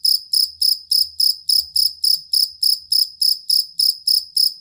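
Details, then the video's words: Cricket of the fighting or jangkrik kalung type, recorded for training songbirds and repelling rats: short buzzy-metallic chirp pulses, around fourteen within under five seconds, steady and evenly timed. "Suara Jangkrik Master Burung"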